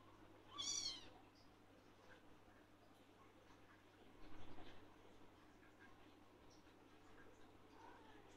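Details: Male blue lynx Ragdoll kitten wanting attention, calling out whenever it sees its owner; one short, high meow near the start, then a quiet room with faint low sounds.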